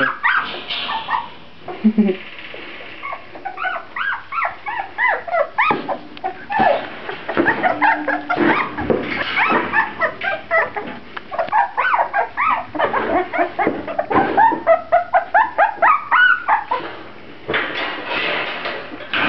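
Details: Litter of Grand Basset Griffon Vendéen pups keeps up a steady chorus of high whimpers, squeaks and yips, overlapping and repeating quickly throughout, growing denser toward the end.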